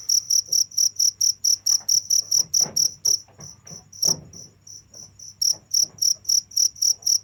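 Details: High cricket chirps pulse quickly, then thin out and weaken mid-way with soft knocking sounds before the steady chirping returns strongly.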